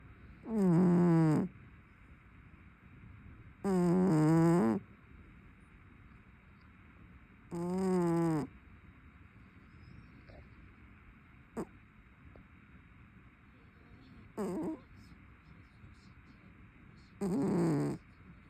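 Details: Sleeping brown tabby cat snoring loudly: six rough, harmonic snores, each about a second long with a descending buzzy tone, spaced roughly every three seconds. The last few are softer and shorter, over a faint steady background hum.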